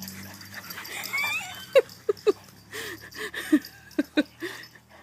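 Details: Two dogs, French Bulldog Petunia and a Shepherd mix named Goperella, playing fetch in a backyard; short, sharp, high whimpering yips come in a scattered series of bursts, with faint voices in the background.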